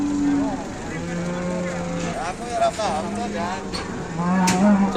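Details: Cattle at a livestock market, a big bull: drawn-out, flat low moos with harmonic stacks, overlapping calls amid people's voices and bustle.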